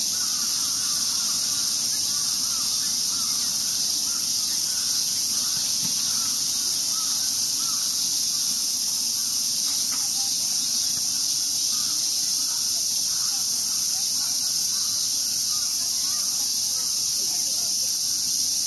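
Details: Cicadas swarming Ueno Park in Tokyo hold a constant piercing hiss-like drone, while crows caw repeatedly in the background and voices drift in near the end.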